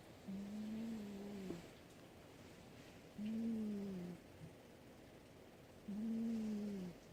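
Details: Sleeping domestic cat snoring: three low, wheezy, slightly whistling breaths, each lasting about a second and recurring every two and a half to three seconds, against a quiet room hiss.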